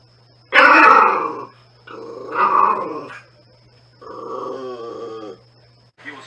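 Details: Natsume, a Norfolk Terrier, lets out three drawn-out, harmonic grumbling growls of about a second each, rising and falling in pitch and separated by short pauses, over a faint steady background hum.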